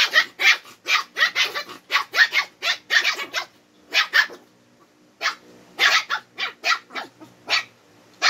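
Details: Two twin Shih Tzus quarrelling, trading rapid yappy barks in dense runs of about a dozen, a short lull near the middle, then another fast volley as the squabble resumes.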